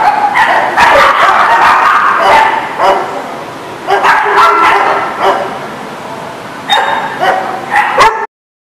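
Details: Several dogs bark and yip together in a busy, overlapping chorus recorded September 21, 2019. Bursts of louder barking swell and fade, then the sound cuts off abruptly just before the end.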